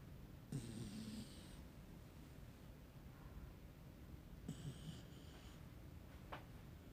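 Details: Snoring from a sleeping puppy: two raspy, hissing breaths roughly four seconds apart, soft and low with an airy whistle on each, and a brief click near the end.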